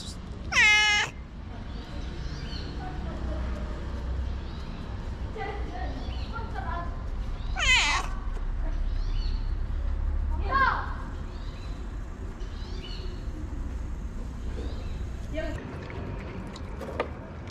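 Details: Homeless tabby street cat greeting its feeder outdoors with scattered meows, one strong clear meow near the start and a louder one midway, fainter calls between, with human speech and urban background hum.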